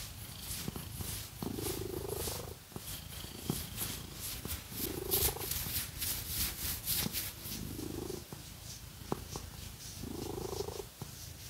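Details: Domestic cat purring while being scratched during a massage; a soft, steady low rumble runs under loud, scratchy nail strokes, with rising swishing sweeps every few seconds.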